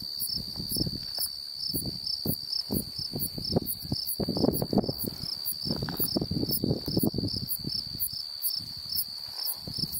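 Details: An unidentified insect gives a steady, high-pitched buzzing trill over low gusts of wind in Beaver County, Oklahoma, on July 8, 2019.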